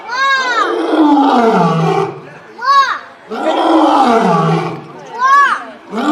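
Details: Lion roar in a dense, loud sequence: long grinding roars alternating with short, sharp higher-pitched calls, repeating about every two to three seconds.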